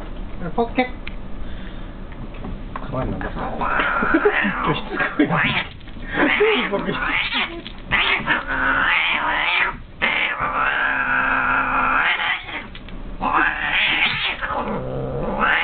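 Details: Two house cats tussle in a cat tower. A brown female yowls angrily while a white-and-grey male bites her persistently. The pair are usually close friends. Long, drawn-out, wavering wails rise and fall almost continuously, with occasional human voices.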